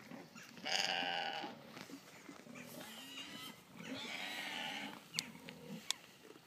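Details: Several Golden Guernsey goats bleat at feeding time: a loud, wavering bleat opens, then softer overlapping bleats and two sharp clicks or knocks near the end.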